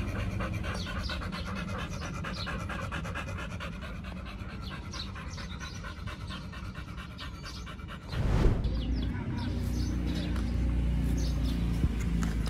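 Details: Pit Bulls Oliang and nomyen on a raw-food picnic at a dog hotel during Chinese New Year 2021, panting in a fast steady rhythm, with a loud bump near the end and low background rumble.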